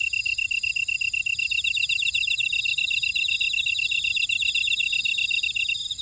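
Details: Buckwheat-field grass insects at Ora-dong on volcanic Jeju Island, South Korea: quick regular chirps about four per second from one caller, which stops just before the end, over a bed of higher rippling insect trills.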